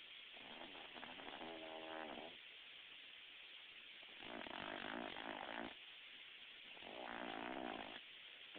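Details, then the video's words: A female Boston Terrier snores in slow, rattling, buzzy breaths over a steady background hiss. "ruby the boston terrier- snoring"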